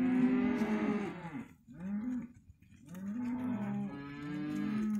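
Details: Hereford calves, a sale lot of young males and females, mooing: several overlapping harmonic bawls, some holding level and some arching, in two bursts split by a short pause.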